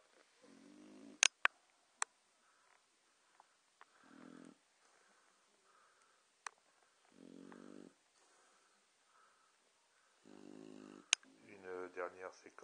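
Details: Sleeping Boxer dogs snoring indoors: rasping, buzzy breaths with layered harmonics come in bursts about every three seconds, some longer and rougher toward the end, punctuated by sharp dry clicks.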